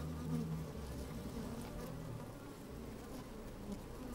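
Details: Microphone pushed down into a working beehive on a sunny day: honey bees give a continuous low buzzing hum, a short brighter buzz at the start, and faint pattering of bees moving about.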